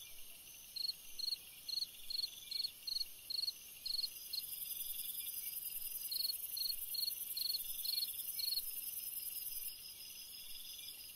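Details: Cricket chirping on a summer night: crisp high pulsed chirps repeated about twice a second in two long runs with a brief pause between, over a steady shrill insect hiss.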